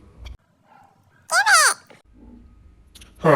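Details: Two Basset brothers fight over a toy that one has stolen; a brief, arching tonal whine from a puppy rises and falls within half a second, with quiet shuffling before and a sharp loud sound closing the moment.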